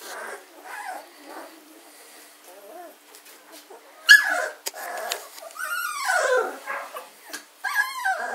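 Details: German Shorthaired Pointer puppies, 14 days old, recorded on 24 August 2016: high whining whimpers and short yips, several rising and falling squeals in quick bursts, with quieter murmuring between.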